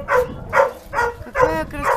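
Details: Barking from homeless dogs at a shelter holding about 2,000 animals, all waiting for a home: five sharp, harmonic barks fire at a steady pace, roughly one every 0.4 seconds, over a faint low rumble.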